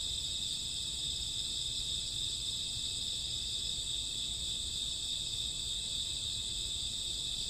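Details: Many crickets chirping through a summer or autumn night at midnight, a constant high, dense trill with no pauses, layered voices blending into one bright ringing wall over faint low noise.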